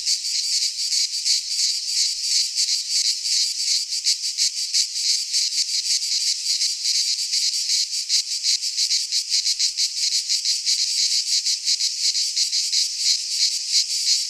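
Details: Cicadas singing in midsummer in a Greek pine forest: a dense, continuous buzzing chorus of high shrill rasping, pulsing roughly three times a second with no other sounds.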